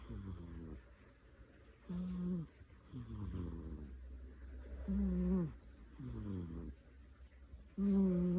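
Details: Kai, a pet cat, sound asleep with eyes open, snoring in slow rhythmic breaths about every three seconds, each a low droning rasp with a few brief falling tonal bits, in a quiet indoor room.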